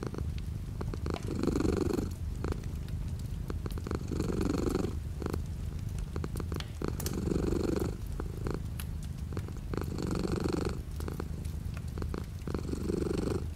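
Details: Purring house cat beside a window during light rain; low continuous rumble rising into breathy swells about every three seconds as the cat breathes in and out, with gentle rain hiss and scattered drip ticks behind.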